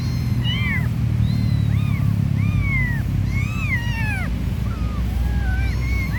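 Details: Stray mother cat with her three little kittens during play; a dense run of high, arching meows, several overlapping, about ten in six seconds, over a steady low rumble like nearby traffic.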